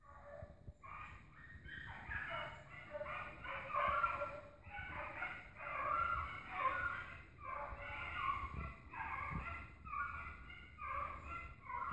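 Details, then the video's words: Dog pack running down an agouti during a hunt: a chorus of overlapping, tonal bays in pulsing bursts, repeated steadily for twelve seconds, with occasional low thumps in the background. "cachorrada correndo cutia"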